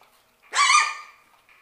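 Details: Six-week-old Shetland Sheepdog puppies from Stormy and Mojo's litter, playing indoors in their play room: one sharp, high, harmonic-rich yip lasting about half a second and trailing off, then a brief faint squeak in a quiet room.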